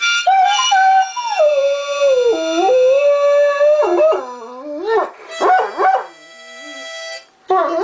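A Great Dane howls in long, sliding, wavering tones over steady harmonica notes.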